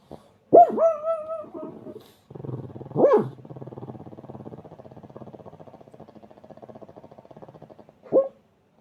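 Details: A pug snoring and barking in turn: a drawn-out whining bark, then a short bark, a long stretch of rhythmic rattling snores, and a final brief bark.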